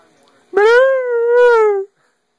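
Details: A part-husky male howls at his owner as his way of talking: a single sustained howl that rises briefly, then holds a steady, rich tone. Siberian Husky.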